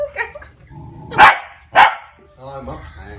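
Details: Corgi puppy guarding a woman, giving two loud, sharp barks about half a second apart, with human speech just before and a tonal voice-like sound trailing after.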